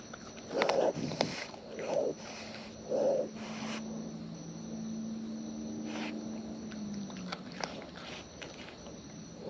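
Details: Close-up of wild raccoons feeding: three loud, wet crunching bursts about a second apart, then quieter scattered smacking and clicks over a low steady hum.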